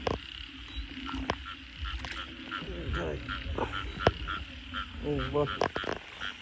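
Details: Frogs calling at night after heavy rain in a flooded area, short harmonic croaks, some in rapid pulsed bursts near the end, over a steady chorus of repeated calls, with men talking and splashing.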